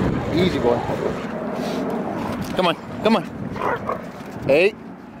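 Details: A Siberian Husky gives short, yowling barks and grumbles during rough play with a Boxer.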